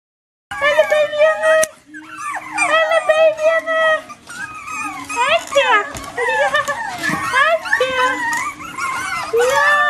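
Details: Bichon Frisé puppies from litters O and P crying together in a chorus of high, wavering whimpers and squeals, many overlapping voices sliding up and down, a sharp knock early on and a low steady hum beneath.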